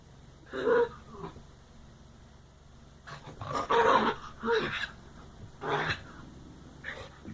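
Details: Playing dogs give weird wookie-like sounds, short harsh growling moans with a wavering, yodel-like pitch, in four or five separated bursts.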